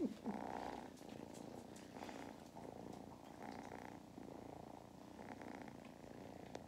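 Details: Kittens Mustard and Thyme purring like machines while on a lap, County Kilkenny, Ireland; short rumbling bursts rising and falling with the breath, about four cycles in a few seconds, with a faint squeak at the start.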